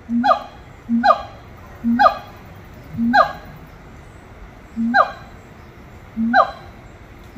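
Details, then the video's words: Monkeys at Little Rock Zoo repeat one call pattern about once a second: a short low hoot, then at once a bright, downward-sliding whoop. The pairs come seven times in a steady rhythm against a quiet background. "아름다운 노래 부르는 원숭이들"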